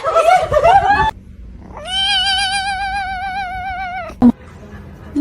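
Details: House cat from a comedy compilation holding one long, steady, drawn-out meow for about two seconds, level in pitch and clear of other sound. A brief knock follows, and music and talking come before it.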